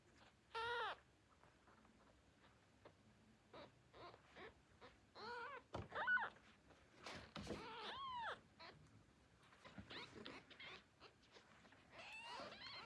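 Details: Newborn kittens, hungry after waking, calling for their mother with their first sounds: a series of thin, high, arched meows, some short and some drawn out, given singly or in quick pairs amid soft rustling indoors.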